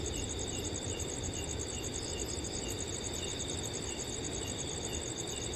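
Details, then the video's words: Cricket chorus in a forest on a cool summer night: high, rapidly pulsing trills with soft repeated chirps, accompanied by a constant breezy rustle of wind through trees. "Crickets & Wind Sounds on a Cool Summer Night"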